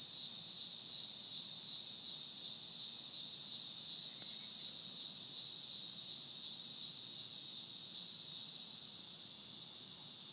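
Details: Summer-evening cicadas produce a steady, high-pitched electric drone, faintly pulsed at about two to three beats per second and unbroken for the whole stretch, with nothing else clearly heard.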